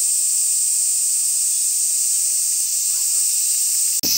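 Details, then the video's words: Steady, shrill, high hissing drone of a cicada in Ibaraki Prefecture, Japan, sustained without pauses until a brief click and break near the end. "ツクツクボウシ、ヒグラシ、ニイニイゼミ、アブラゼミ、ミンミンゼミの鳴き声 Calls of 5 Cicadas"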